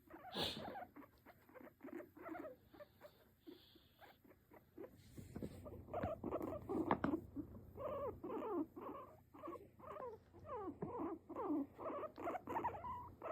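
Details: Pet guinea pig sitting on its owner's lap, calling in rapid chains of short squeaky chirps, loose and irregular, growing busier in the second half, over a low background hum.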